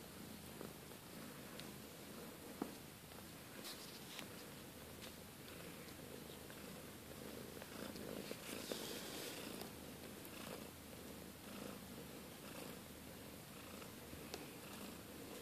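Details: Purring from a litter of Siberian kittens belonging to Kate and Bessie, a steady low rumbling throb throughout, with occasional clicks and rustles of movement indoors.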